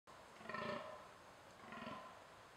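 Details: Fallow deer buck groaning in a thicket during the rut: two short, low, hoarse belching groans about a second apart, rich in harmonics, over a quiet steady background hiss.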